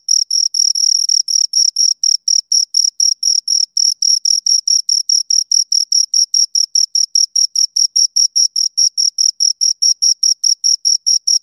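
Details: Two crickets chirping, steady high-pitched pulses with a bright upper overtone repeated about four to five times per second, regular and unbroken with clean silence between chirps and no other sounds.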